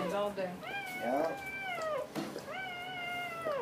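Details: Dobermann giving birth to puppies after a long labor: two drawn-out, tonal cries, level then falling at the end, about two seconds apart, with a soft human voice and room noise underneath.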